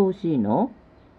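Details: Siberian Husky Sora, a blue-eyed dog, talking earnestly to make its demands understood. One short, wavering, harmonic 'a-roo' dips and then rises over about half a second. A quiet room follows.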